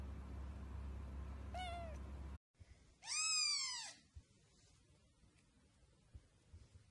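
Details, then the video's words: Domestic cat meowing: a faint, short, falling meow, then after a brief gap a loud, drawn-out meow about a second long that rises and falls in an arch, over a steady low background hum. "Cute Cats Meowing"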